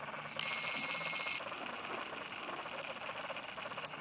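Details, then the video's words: Baby squirrels inside a nest box: one thin, high, steady squeal lasting about a second near the start, then only continuous rustling and scratching hiss from the nest. "baby squirrels in box nest"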